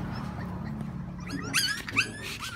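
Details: Thirty-day-old French Bulldog puppy during a bath to remove scalp crust, giving a few brief, high, wavering whimpers and yips in the second half, over a steady low hum.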